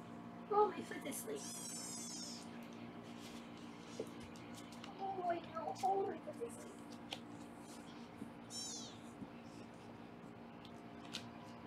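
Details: Foster kittens on a Los Angeles live kitten cam calling during weighing: a piercing, harmonic-rich kitten meow early, another near the end, a woman's speech in between, and low room hum throughout.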